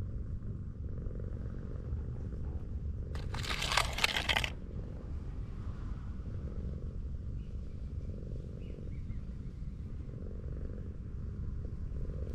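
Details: Affectionate tortoiseshell cat found lying on a sloping street, purring steadily while being petted; a low, even rumble runs throughout, broken by a loud rustling burst near the middle, with faint outdoor background.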